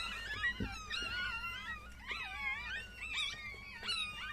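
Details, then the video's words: Newborn Chihuahua pups from a seven-puppy litter squealing just after birth: a run of shrill, wavering cries, each rising then falling, repeated roughly every second with a soft thump early on. "chihuahua doğum anı"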